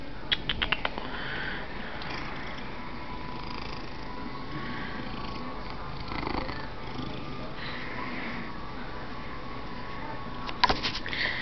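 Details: Male domestic cat purring loudly while being petted and showing affection indoors; a steady low rumbling purr runs throughout, with a few soft clicks and a woman's cooing voice briefly at the start.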